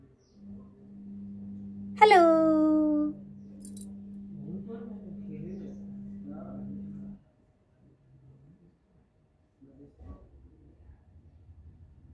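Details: Rishi, a curious kitten, gives one loud, drawn-out meow lasting about a second that starts high and slides lower. A steady electrical hum runs beneath it, followed by faint murmuring and soft knocks.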